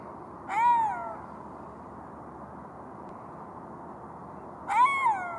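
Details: Golden jackal giving two short tonal wails about four seconds apart, each rising briefly then sliding down, with steady low background hiss between them.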